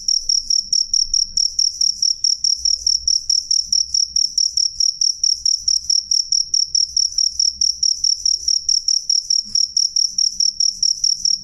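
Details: Cricket (jangkrik), recorded loud and clear: a high, pure ringing chirp repeated in rapid, steady pulses, several per second, throughout the recording, with no other sounds.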